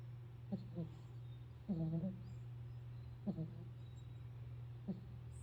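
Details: A sleeping pit bull snores in a few uneven, short harmonic snorts, one longer drawn-out breath near the middle, with a steady low hum behind.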